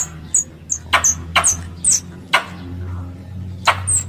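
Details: Squirrel lure sound used for hunting. Scattered shrill squeaks and clicks come in irregular bursts with short pauses between them, over a constant low droning hum.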